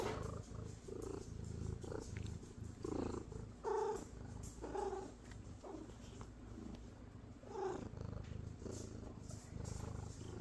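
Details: A happy domestic cat purring softly in a low, steady pulsing rumble, broken by several short, mid-pitched chirping trills and murmurs; the whole recording is quiet and close.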